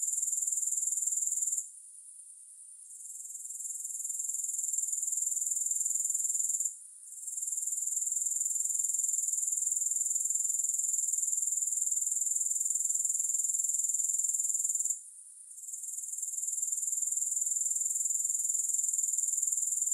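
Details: A continuous, piercing insect chirr from grasshoppers with no music, regularly pulsed about four times a second, interrupted by three short quiet gaps before the same trill returns each time.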